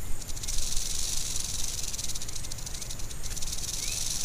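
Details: Angry western diamondback rattlesnake gives a continuous dry, high, hissing buzz of a rattle that holds steady throughout with slight pulsing and no pauses.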